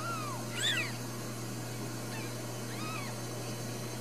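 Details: Ragdoll kittens in a cage-free home cattery in central Kansas: a faint falling mew, then a louder high arched cry, and later two soft, quieter mews, all over a low humming background.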